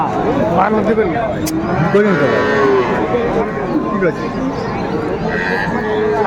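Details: Cattle market at Raniganj, Dinajpur, 2 May 2024, with Friesian and cross-bred bull calves; short bending lows and moos rise and fall among loud human talk and general market bustle.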